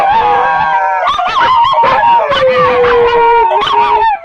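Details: {'caption': 'Dogs howl in chorus. One voice holds a high, steady wail while another slides down to a lower, sustained tone, and brief yelps break in over the top.'}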